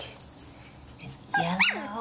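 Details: Samoyed puppies, 17 days old, learning to play with each other: after a second of soft rustling, one short high harmonic whine-yelp rises sharply then slides down, ending with a faint whimper.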